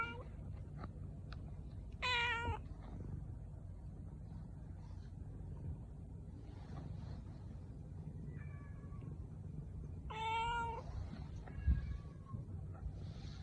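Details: Cat giving two clear, harmonic-rich meows about eight seconds apart, each short and slightly falling, plus a few softer shorter mews between them over a steady low hum.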